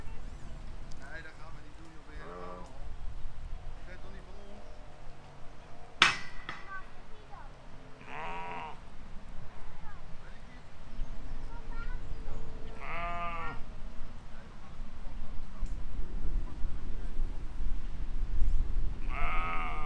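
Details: Sheep and lambs grazing in a field in spring 2020 give several wavering, quavering bleats, spaced a few seconds apart across the stretch, over a low rumble of wind and field noise.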